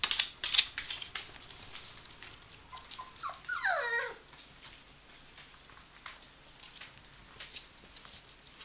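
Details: Five-week-old Samoyed puppies with their mother Meritähti, indoors: a loud descending whine slides down in pitch near the middle, preceded by sharp high squeaks, amid constant scratching and rustling of moving pups.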